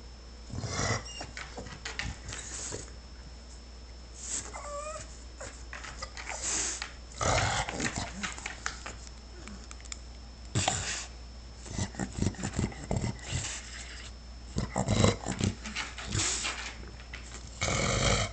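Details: Shar Pei dog crying to be let outside, with short rising whiny whimpers around the middle, scattered with knocks, scuffling and broadband clattering noises indoors.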